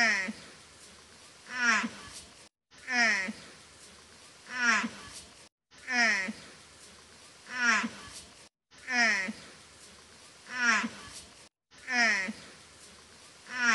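A mother water buffalo calls for her calf with drawn-out, harmonic bellows repeated in pairs.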